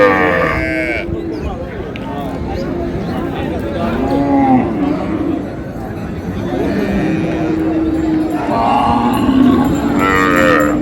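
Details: At Raniganj market in Dinajpur, where cows with calves are traded, cattle give low, drawn-out moos beneath dense crowd chatter, shouting and bargaining voices.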